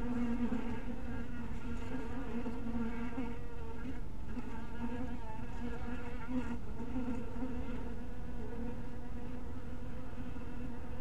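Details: Dense humming of honey bees gathered at a bee cottage in crepuscular light, a continuous low buzz with wavering pitch and bright harmonics, a few soft taps around four and six and a half seconds.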